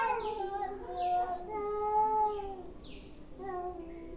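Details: Angry cats yowling: sustained, steady, drawn-out moaning tones that waver slightly and fade, then resume with a shorter cry near the end.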